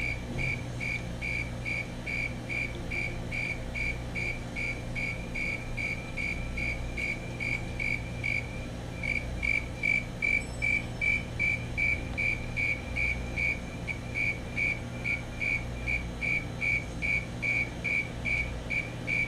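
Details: Male Fulton's tree cricket calling: evenly spaced, tonal high chirps about 150 per minute, growing louder midway, with faint fainter chirps from a second cricket behind and low traffic-like hum.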